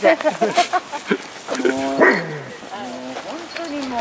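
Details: An 11-year-old dog whining excitedly because it wants the ball another dog holds in its mouth. The whimpers are high and slide downward, mixed with people talking nearby.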